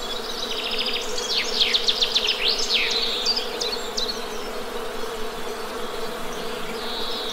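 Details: Continuous low hum of Western honey bees, even and unbroken, beneath a burst of rapid, sweeping bird chirps early on that fades to occasional higher notes.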